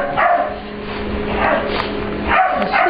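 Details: Ester, an English Bulldog/Pit Bull mix puppy, playing with another dog, Layla, in a grooming room at work. She asserts the room as her own with short rough barks at the start, middle and end, over a steady machine hum.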